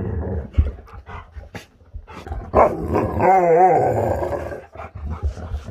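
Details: Huskies eager to get outside and play; one dog gives a wavering, warbling howl lasting about a second, rising then wobbling in pitch, among rustling and thumping movement noises.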